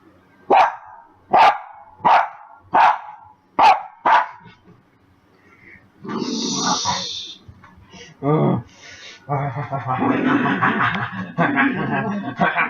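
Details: Max, a pet puppy, after dinner: five sharp barks about once every 0.7 seconds, then a pause followed by people talking and rustling household noise.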